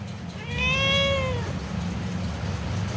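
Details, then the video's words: A pet cat, responding as a person talks to it about rain, gives a single short meow of about one second. It rises slightly, then curves down, with bright harmonics over low background noise. "Cute Conversation With A Responsive Mufasa-The Cat King"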